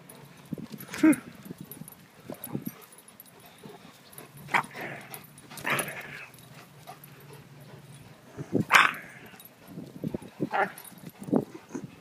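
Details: Great Dane puppies at play give scattered short yips, whines and growly barks in irregular bursts, loudest near the middle and end, with soft rustling and scuffling between outbursts.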